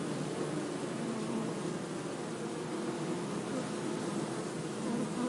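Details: Steady droning buzz of bees, low and rough, with tones drifting slightly up and down and the hum swelling a little toward the end.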